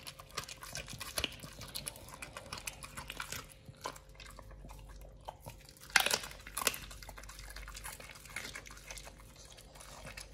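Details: Pit Bull nomyen chewing a raw fish and duck feet combo: a continuous run of crisp, uneven crunches and wet smacks, with one loud cracking bite about two-thirds through.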